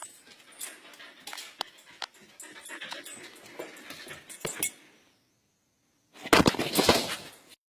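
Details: A husky puppy at a kennel in Mumbai fusses with soft, scratchy whines and grumbles, then after a short pause breaks into a loud, rough, high-pitched run of barks lasting about a second.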